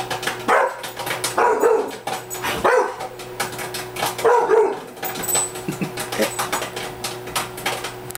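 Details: Pet Rottweiler Bailey, threatened by microwave popcorn popping, lets out short clipped barks in a loose series over dense crackling pops and a steady hum, with faint voices in the background indoors.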